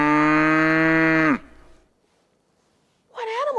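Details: A cow's moo played as a sound in a preschool farm-animal listening quiz: one steady, low, richly harmonic moo held for over a second and ending abruptly, followed after a pause by a voice.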